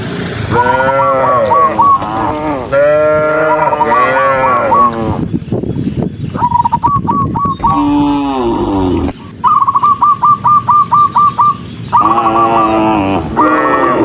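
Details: Cows, dozens strong, run along a rural road while mooing loudly; long harmonic lows crowd the opening seconds, then a noisy lull of hoof sounds, then rapid trains of sharp, high, evenly repeated chirps before more mooing.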